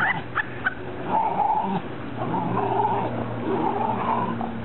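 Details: Great Dane making drawn-out, wavering whining tones in several stretches of about a second each, with a faint low hum and some background noise.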